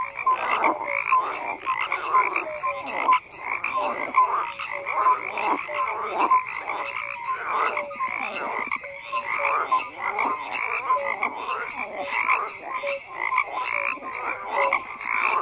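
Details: Continuous chorus of croaking frogs, a steady wall of rattling, pulsed calls from many animals, with repeated short clear notes rising above and one brief lull near three seconds.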